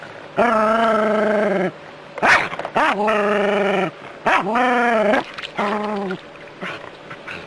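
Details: A Jack Russell Terrier battling a hose stream lets out a run of long, tense, moaning howls, about five in quick succession, each a second or so, broken by splashy water bursts between them.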